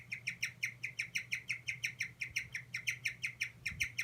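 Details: Guinea pig showing stress with repeated 'kyu' squeaks: bright, high, slightly falling notes, about four per second, fairly even in loudness, with a low hum underneath and a faint soft knock near the end.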